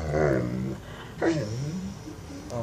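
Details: Mastiff begging for bacon, low grumbling moan-like vocalising with a rising-falling contour, two bursts, in a small room.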